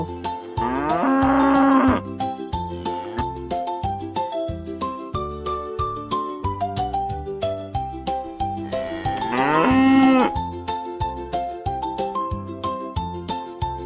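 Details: Cow lowing twice, long drawn-out moos, each about a second, separated by several seconds, over gentle children's music with steady bell-like tones.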